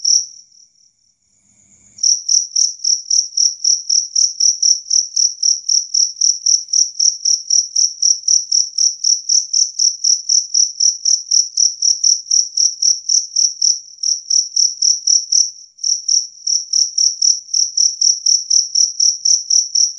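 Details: After a soft opening trill, a two-spotted cricket, or jangkrik kalung, breaks into fast, loud, clear chirping, about four high chirps a second, with one brief gap near sixteen seconds; the sound is said to repel rats.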